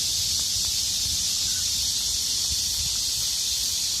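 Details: Many cicadas droning in unison during a hot midsummer day, a relentless high, hissing whine without rhythm or breaks, joined by a few faint clicks and ticks.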